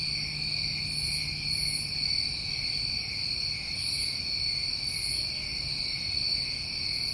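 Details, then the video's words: Crickets on a New England summer night keep up a constant high-pitched shrill drone, layered in even bands, with occasional brighter shimmering bursts overhead and a low hum through the first seconds. "Over 1 Hour Of Tinnitus Masking With Crickets"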